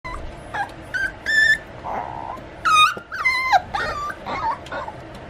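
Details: Male puppy giving thin, high whining yelps, some rising then falling, in quick clusters, with a shuffling rustle in the background.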